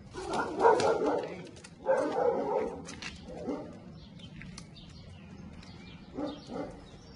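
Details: Two-year-old unneutered American Staffordshire Terrier in Milan, overexcited and dominant, barking in loud harsh bursts, clusters near the start, around two and three and a half seconds, and near the end, with quieter background noise between.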